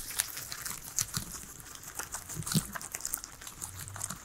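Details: Three guinea pigs munching a salad of veggies at home, giving dense, quick crunchy bites and leafy crinkles, a louder snap at about two and a half seconds, in a quiet small room without voices or music.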